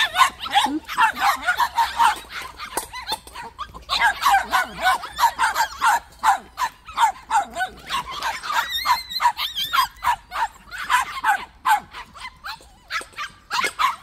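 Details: White puppies at a plum orchard, fed snacks, bark in a dense, excited chorus of sharp, high yips, several dogs overlapping in rapid bursts about three per second, with short pauses between volleys.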